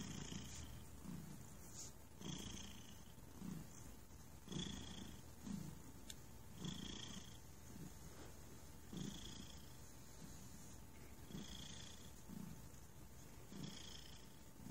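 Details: Relaxed cat named Thunder purring steadily, a soft low rumble pulsing in regular breaths about every two seconds, with a faint hiss and a steady background hum.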